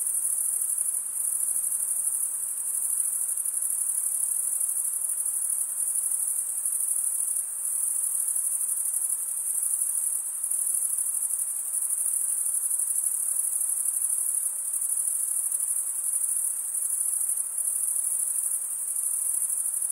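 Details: Crickets chirping by stridulation, males rubbing serrated wing veins together, produce an unbroken shrill trill that barely wavers in loudness over the whole stretch; nothing else is heard.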